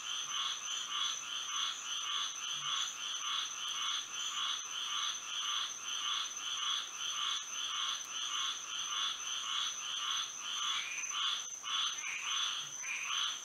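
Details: Night chorus of frogs in Florida under moonlight: rapid, overlapping croaks pulse almost continuously at a fast, even pace, with a steady high ringing tone behind them throughout.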